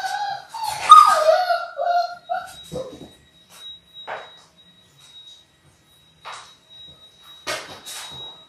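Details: Six-week-old Labrador Retriever puppies, part of a litter of six born January 18, 2022, on a live puppy cam in late February. They give wavering, harmonic whimpers and yips for about two seconds, followed by quiet rustling, scattered clicks and a steady faint high tone.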